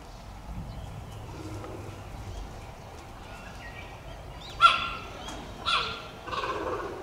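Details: Cheetah cub, said to be Dura's offspring, at Tama Zoological Park: two sharp, high, bird-like chirps spaced about a second apart, then a softer third burst, over low rumbling background noise and faint human voices.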